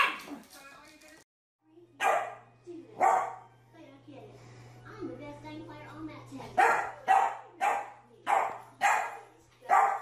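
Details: Barking dog from a puppies and dogs compilation: a few barks, then talking over a steady low hum, then a run of six sharp barks, about one every half second.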